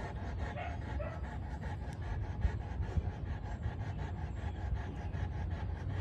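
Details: Kirmit Olivia, a big female Boerboel, panting steadily in quick rhythmic breaths, a soft low huffing repeated about twice a second with a faint background hum.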